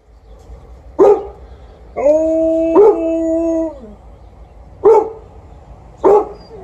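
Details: Outdoors, a Golden Retriever gives single sharp barks while an Alaskan Malamute howls steadily under one of them.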